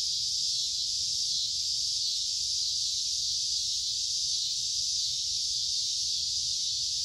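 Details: A wall of cicada sound in summer, loud and high-pitched, an even unbroken electric-sounding buzz from start to finish with only faint low hum beneath.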